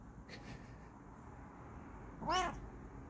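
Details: Bengal cat named Kokoa giving a single short arched meow with rich harmonics midway through, preceded by faint soft chirps, over low steady room hum.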